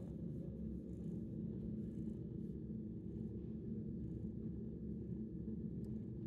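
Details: Deep, rhythmic purring from a 10-month-old shelter cat that loves attention, a constant low buzzing vibration with a faint steady hum above it and one small click near the end.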